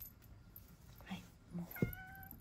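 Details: Rescued male house cat in Shiga, Japan, let out through opened window screens. A faint, short meow comes near the end over steady background hum, with a few soft knocks and a woman speaking nearby.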